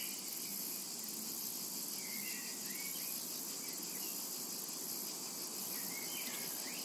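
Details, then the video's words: Constant sizzling buzz of cicadas over a summer meadow, even and continuous, joined by a few quick chirps and a rising bird whistle near the end. "Summertime and Cicada Ambience"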